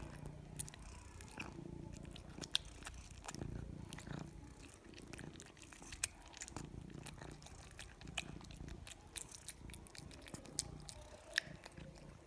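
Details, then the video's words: Pet cat eating: sharp, irregular crunches and chewing clicks over a low background hum, sometimes bunched in quick runs. "The sound of a cat eating"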